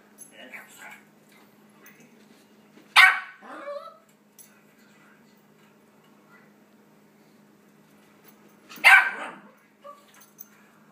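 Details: Four-month-old Yorkshire Terrier puppy barking excitedly at dogs barking from a computer; two sharp, loud barks about six seconds apart, each followed by a softer yip, with faint quieter barks between them and a steady low hum.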